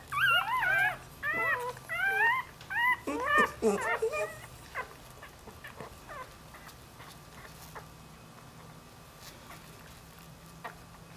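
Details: Whining newborn Dachshund x Jack Russell puppy separated from its mother: a dense run of wavering, high-pitched squeals and yelps for about four seconds, then fading to scattered faint squeaks and soft rustling.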